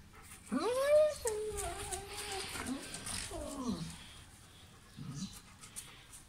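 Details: German Shepherd in Pakistan giving high whining, yelping calls with sliding harmonic tones around a second into the recording, followed by softer descending whimpers and a brief low sound near the end; faint room noise.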